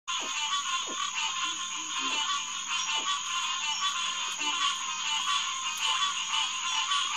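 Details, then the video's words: Green tree frog (Hyla cinerea) chorus at the Headquarters Pond, SMNWR, on the night of June 2, 2021, around 9:10 pm. Dense overlapping nasal calls form a continuous pulsing mass, over a steady high insect whine and a few faint low knocks. "Green Tree Frog Chorus"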